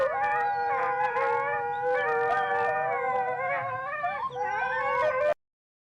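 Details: Wolves howling in chorus: several long, sustained, wavering howls overlap and slide up and down in pitch without pause for about five seconds, then cut off abruptly.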